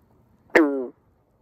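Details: A green frog at a pond in summer gives a single short, abrupt twang, like a loose banjo string being plucked; males call day and night to attract mates and establish territories.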